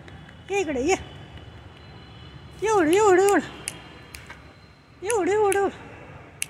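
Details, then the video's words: Scared by Diwali firecrackers, domestic cats Desiree and Alba let out three warbling yowls that rise and fall in pitch, spaced about two seconds apart, over a quiet steady background. "Why Do Diwali Crackers Scare Cats ? Crackers Scare Cats"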